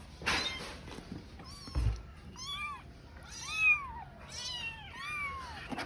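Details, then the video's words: A tiny kitten, left alone, cries while searching for its mother: about five high, arched meows, each rising then falling, come in close succession with short gaps, over a quiet indoor background with a few soft knocks. "A Kitten Crying While Searching for Its Mother"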